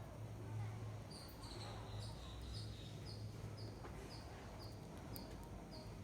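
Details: A hungry squirrel eating rice gives short, high chirps repeated about twice a second over a low background hum.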